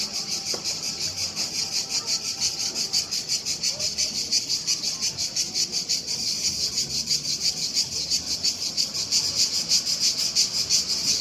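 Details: Several cicadas in Split make a loud, continuous, pulsing buzz, steady and high-pitched throughout.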